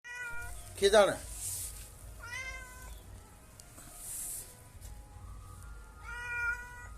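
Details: Domestic cat drinking milk, giving several harmonic meows: a strong rising-falling cry near one second, then softer drawn-out meows around two and six seconds, with a man talking in Gujarati and faint background hiss.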